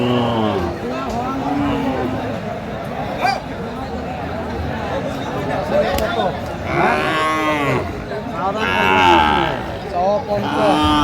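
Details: Sahiwal bull calves at a cattle market in Chittagong, Bangladesh, 22 March 2025: repeated deep drawn-out moos from several animals, some rising into higher bellows, over crowd chatter and background talk.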